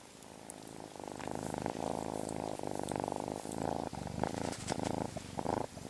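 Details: Domestic cat purring steadily and closely, a continuous low rumbling throb with slight rhythmic swells, fairly loud throughout with a few faint clicks over it.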